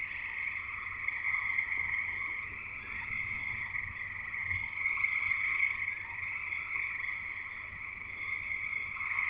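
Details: Dense chorus of frogs singing outside a house in Escanaba in Michigan's Upper Peninsula, a steady shrill trill layered over a lower pulsing band, continuous and jungle-like, with a faint low hum behind.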